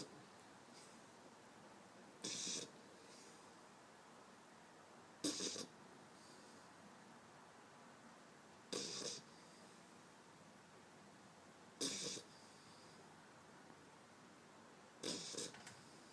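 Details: Eight-week-old pit bull puppy asleep on a person's arm, snoring indoors: soft, breathy, hissing snores recur about every three seconds, five in all, with quiet breathing between them.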